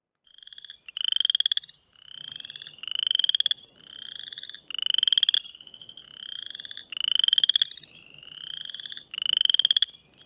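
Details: Western chorus frogs in Ohio give rising, rasping mating trills, like a fingernail run along a comb's teeth or a creaky rocking chair, about every two seconds.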